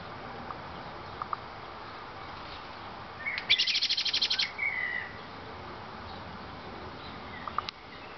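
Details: A tame squirrel living in a garden, hand-fed hazelnuts about three times a day, chatters once: about ten sharp, high clicks ending in a short buzzy trill, with faint chirps and light outdoor background noise around it.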